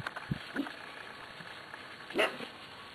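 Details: Eight-week-old Corgi puppies from the Zoe and Strut litter: a few soft squeaky whimpers early on, then one sharp, bright yip with stacked overtones near the end, over a steady low hiss.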